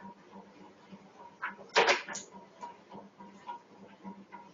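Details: A pet dog reacts after seeing a cat jump over a wall, giving one loud, harsh bark burst midway, flanked by softer yelps, over a steady low hum and faint background murmur.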